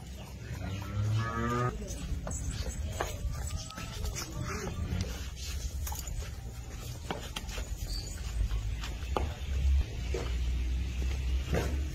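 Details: Holstein Friesian heifers kept for sale, with a harmonic moo in the first two seconds followed by lower rumbling calls and steady barn noise with scattered knocks.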